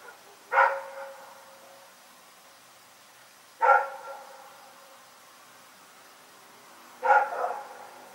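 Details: Nighttime barking from Rex, a dog: three separate loud barks spaced about three seconds apart, each a sharp onset fading quickly, with quiet between.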